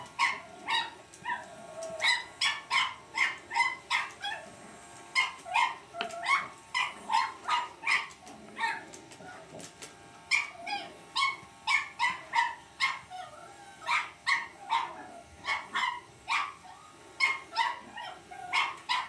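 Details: Lucy, a Cavalier King Charles Spaniel puppy, battles an electric shaver with a long run of rapid, high-pitched yapping barks in irregular clusters, some doubled, over a faint constant motor hum.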